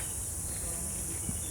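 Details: Many crickets calling in a quiet, tree-filled place, heard as a steady, unbroken high-pitched shrill chorus that stays even throughout, over a low background rumble.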